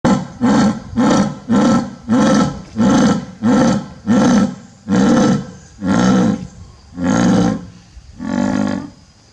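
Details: A captive male jaguar, about five years old, at a zoo on 5 October 2021, gives his usual thick, low call: a series of about ten deep, hoarse grunting roars in quick succession.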